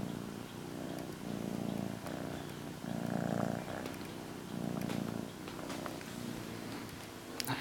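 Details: Pet cat purring contentedly with her blanket, a soft low rumbling that rises and falls with each breath, while a person talks gently to her over the purring.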